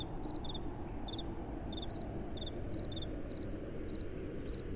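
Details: Night crickets in gentle wind: two insects alternate short high chirps, one in paired pulses and one slightly higher, each repeating roughly twice a second over a constant low wind rumble.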